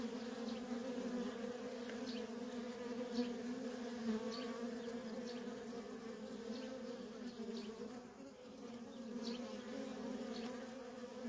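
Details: Worker honey bees streaming nonstop at a feral colony: a dense, steady drone with a low hum and a higher overtone, and brief louder swells as individual bees fly past close by.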